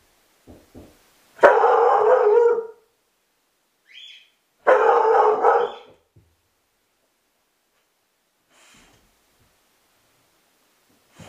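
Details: A Belgian Sheepdog (Groenendael) gives two loud, deep, drawn-out barking bursts with brief pauses, barking indoors after the doorbell rang.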